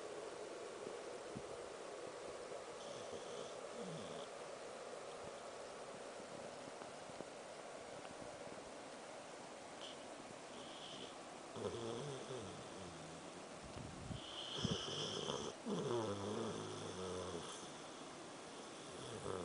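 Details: Samoyed dog named Angel asleep and snoring, a pet at home: soft steady breathing noise at first, then from about eleven seconds louder rasping snores with a low throaty rumble, several in quick succession.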